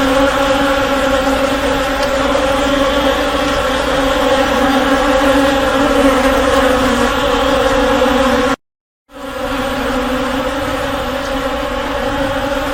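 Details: Honey bee swarm giving a dense, steady droning buzz with strong layered harmonic bands, unbroken except for a brief silent dropout near the end.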